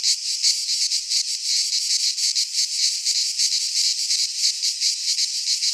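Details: Singing cicadas of a Greek pine forest at midsummer: relentless high electric buzzing, rapidly pulsed and swelling slightly in places, with nothing else audible beneath the chorus.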